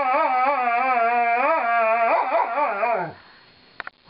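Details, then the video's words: Lightning the Alaskan Malamute, a female, protests her brushing with a steady undulating howl, rhythmic wavering pulses for three seconds, then a break-up into choppier notes that trail off to quiet and a couple of faint clicks. "My Funny Malamute - "Lightning" Sings the Brushin' Me Blues"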